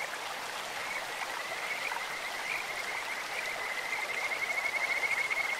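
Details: In a clear mountain stream, a Kajika frog's bright whistled trill rises out of the water's hiss in the second half, its rapid pulses swelling in loudness toward the end.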